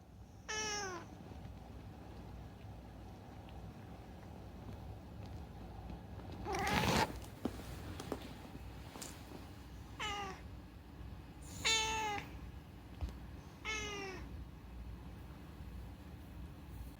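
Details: Talkative rescued cat Unagi-kun calls in clear, bending meows: one at the start, then three more spaced about two seconds apart. A sharp thump interrupts the quiet room in the middle.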